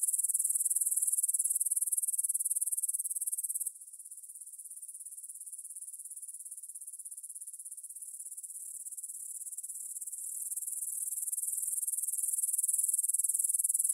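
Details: Grasshoppers chirring in a field by the Svensky monastery, Bryansk, Russia, at 9pm on 6 September 2020, recorded in stereo on a Tascam DR-44WL; a loud, sizzling high buzz drops sharply after a few seconds, then slowly rebuilds.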